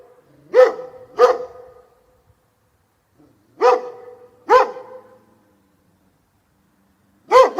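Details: A dog gives sharp barks, mostly in quick pairs, with long quiet gaps between the pairs. The barks are clear and strongly resonant, and no other sounds are present.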